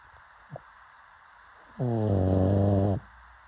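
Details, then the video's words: A sleeping pug lets out a single drawn-out, throaty snore lasting just over a second, preceded by a faint snuffle in an otherwise quiet room. "Pug Snoring"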